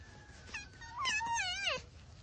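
An Arctic fox gives a high, wavering whine with a quick chattering rise and fall.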